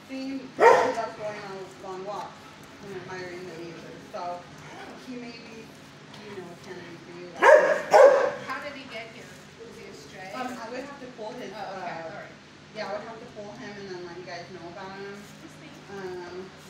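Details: Fozzie Bear, a six-year-old shelter dog in kennel 19 at HSSAZ, gives a few sharp barks near the start and a double bark midway, while a person talks at length over kennel background noise.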